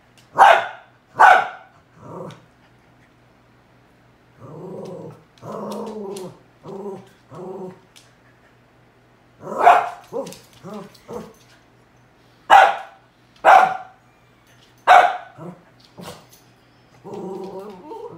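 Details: Pet dog barking at a cow hoof, loud sharp barks in bursts mixed with lower growling runs between them, pausing and flaring again through the stretch.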